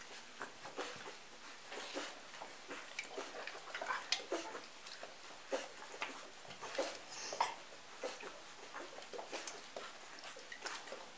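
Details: Hungry golden retriever puppies nursing from Betsy after a morning nap in an indoor pen; brief thin squeaks and whimpers among frequent wet sucking and shuffling clicks.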